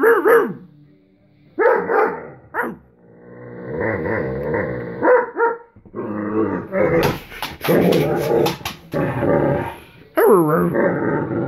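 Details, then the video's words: Irish Wolfhound wanting to play without getting up, with sharp single barks, a low rolling growl-grumble, then a rapid cluster of rough, noisy barks and a closing wavering moan. "Discussion with an Irish Wolfhound"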